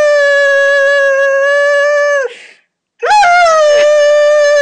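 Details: Indoors, the lurcher Moss howls for Lucy, his greyhound companion who has gone for a walk without him; a loud, steady, rich howl, a brief silence, then another howl starting with a rising swoop.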